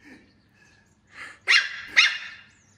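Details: Puffyk, a puppy, reacting to a laser pointer beside a kitten named Street, gives a soft whimper, then two loud, sharp, high-pitched barks about half a second apart.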